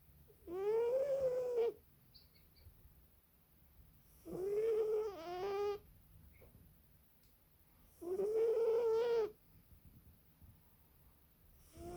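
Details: Sleeping British Shorthair cat named Sara snoring loudly: drawn-out, tonal, buzzing snores about a second long, the last one breaking into two parts, repeating roughly every four seconds with quiet pauses between breaths, indoors.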